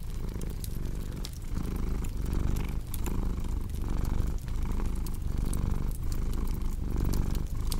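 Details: Domestic cat purring indoors beside a crackling fireplace: a steady low rumble that swells and dips with each breath, roughly every second and a half, dotted with sharp wood-fire pops and snaps.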